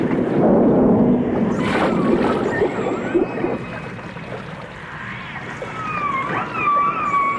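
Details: Dolphins, with orcas also present, in a 1989 stereo recording: bubbly, gurgling water noise first, then a scatter of thin whistles, rising and gently arching, heard in the second half.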